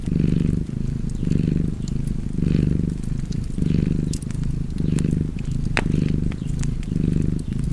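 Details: Purring cat near a fireplace: a continuous, buzzy low rumble that pulses with each breath every second or so, plus a few loud snaps of burning wood.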